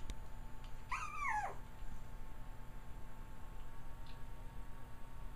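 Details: Three-week-old puppies, a trio of male littermates from Kaya's litter born November 22, 2009, indoors; one high whimper near the start rises and then falls over about half a second, followed by quiet room hum.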